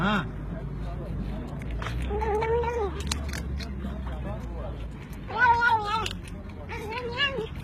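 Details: Domestic cat talking with its humans: two long, wavering, arched meows, one around the middle and one near the end, over steady household murmur and human voices.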